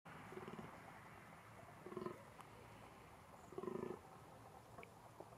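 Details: Fallow deer during the 2021 rut in a small game enclosure in Český ráj, Czech Republic: three deep, pulsed groans with a hoarse, throaty ring, spaced one to two seconds apart over a faint rustling background.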